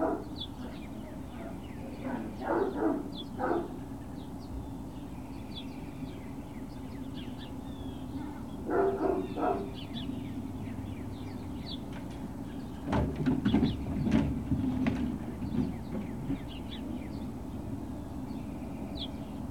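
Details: Great Dane puppies at Puppy Hill, 21 March 2019, late morning, giving short rough barks in three clusters spaced several seconds apart, with faint bird chirps and a steady low hum behind.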